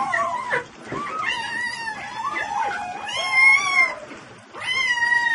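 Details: Domestic cat giving several drawn-out, wavering meows with bright harmonics, some rising then falling, separated by short pauses, with one last long cry near the end.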